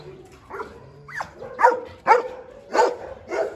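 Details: Barking from a Dobermann in a large kennel: a soft yelp first, then a run of louder, abrupt barks spaced unevenly, with a faint low hum underneath.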